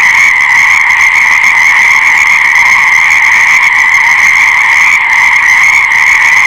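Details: Massed frog chorus forming a constant, shrill, buzzing drone that barely changes in loudness, with overlapping trilled calls blending into one continuous wall of sound.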